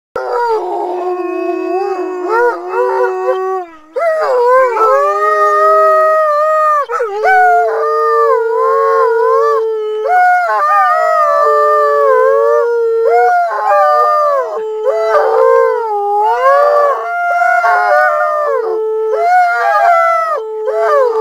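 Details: Several Alaskan Malamutes howl in response to a siren: overlapping long, sustained, wavering tones with bending pitch, voices layering in chorus almost without break for twenty seconds, one brief dip near four seconds.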